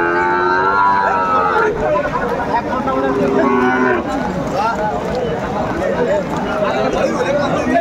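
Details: Sahiwal bull at a cattle market in Madaripur, bought by a farmer in the rain on 3 September 2024. It gives a drawn-out, tonal lowing for nearly two seconds, then a lower, shorter moo, amid crowd chatter and haggling over prices.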